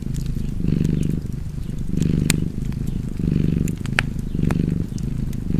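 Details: Low rumbling purr of a cat by a crackling fireplace, swelling in four or five slow breath pulses, each about a second long, with crisp crackles and pops from the fire.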